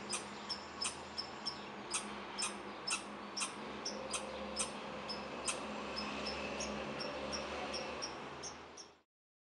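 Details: A young red squirrel in a backyard barks for unknown reasons in sharp, high, clicking notes repeated about twice a second over a steady hum.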